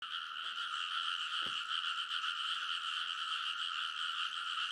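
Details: A nighttime frog chorus in a rice paddy in Kōnosu, Saitama, Japan, in early summer near midnight, recorded on a field recorder; many overlapping croaks merge into a dense, steady, rasping wall of sound with a brief low thump.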